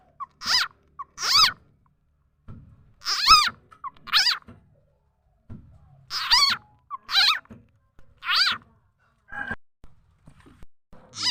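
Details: Khiat chana or khiat mo frog, a call used to lure birds, chickens and other fowl; a long run of bright, rising-and-falling squeaky notes, singly or in pairs, roughly every second with silent pauses between.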